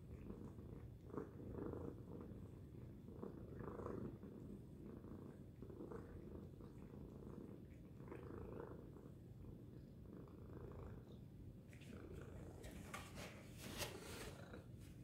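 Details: Domestic cat Tacy purring loudly, a constant deep rumble pulsing with each breath, with a burst of brief crackling, rustling noise near the end.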